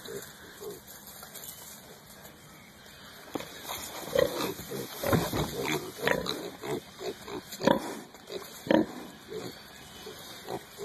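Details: Hereford piglets rooting in the dirt in early spring; quiet at first, then a run of short grunts and sharper squeaky squeals, roughly one a second, over rustling and scuffling noises.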